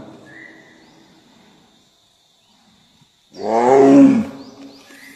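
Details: Bengal tiger. A single deep, rough roar from a Bengal tiger bursts out after a quiet spell, swelling quickly and dying away in about a second. Faint background hiss and a thin high tone linger before and after.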